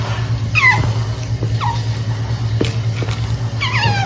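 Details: Otter named Punch making cute noises while eating snacks indoors: short, high, squeaky chirps that slide downward, given in three brief bursts across four seconds over a steady low electrical hum.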